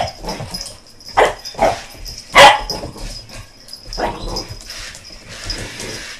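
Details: BooBoo, an American Bulldog puppy, barking around a helicopter: several sharp barks spaced about half a second to a second apart, the loudest near the middle, with quieter yips between and a faint steady whine in the background.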